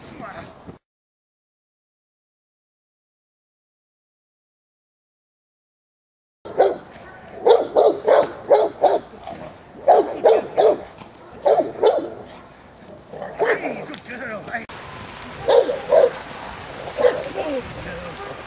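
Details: Female Presa Canario J7's Kelly of the Irema Curto line training in protection at Germany's De la Arena field. A long silence gives way to steady, heavy barks roughly every half second, with voices heard between them.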